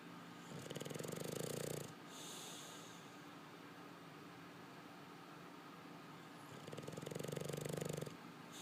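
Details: English Bulldog (Canis familiaris), snoring.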